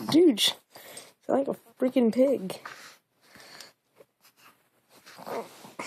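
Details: Pet dog at play with its owner suddenly making a weird, funny noise likened to a pig: short wavering, yodel-like moaning bursts, three in the first two and a half seconds, with a man talking and faint rustling indoors.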